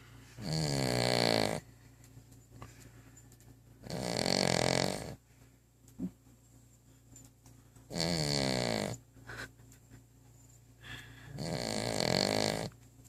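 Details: Female pet dog asleep indoors with her head under the bottom of a coffee table, snoring loudly: four long, raspy, vibrating breaths roughly every four seconds, with quiet pauses and faint clicks between them.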